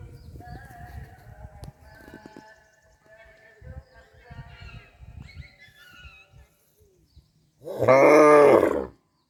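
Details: A family of cows on a farm tears and chews grass in soft, uneven crunches, then one gives a deep, drawn-out moo.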